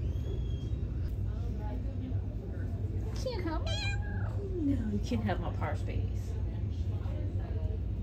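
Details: Domestic cat filmed in August, making lots of little pips and squeaks: high, squeaky chirps and wavering rising-and-falling trills in quick bursts, over a steady low hum with a human voice nearby.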